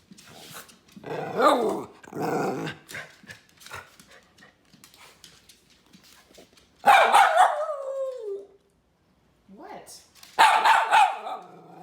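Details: Male miniature red poodle indoors, demanding a treat: loud rough barks in bursts near the start, then a long barking cry that slides downward, and another burst near the end, with a person talking to him in between.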